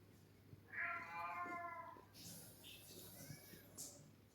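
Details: Pet cat indoors, wanting a massage after fighting or playing: one drawn-out, clear tonal meow lasting over a second, slightly falling at the end, followed by a woman speaking Marathi to it softly with light household noise.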